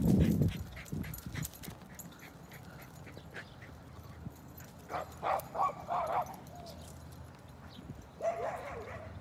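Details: Dogs chasing a baby donkey: a low thump opens, then a short run of four quick barks comes midway and one more near the end, over steady background hiss.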